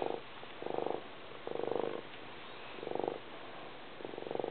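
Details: Purring cat, pulsed low rumbling bursts coming in a slow breathing rhythm, loud swells separated by softer near-silent pauses.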